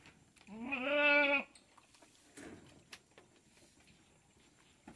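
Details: Farm-kept Tellicherry goat calling once: a lower, buzzy, harmonic-rich bleat of nearly one second, steady then trailing off, followed by faint scattered knocks and rustles.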